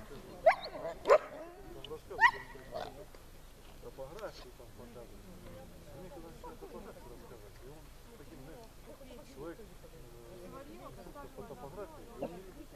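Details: Puppies at a training session in Horlivka on 13 September 2020: three sharp, loud barks within the first two seconds, then a long stretch of soft yips and whimpers mixed with quiet human talk.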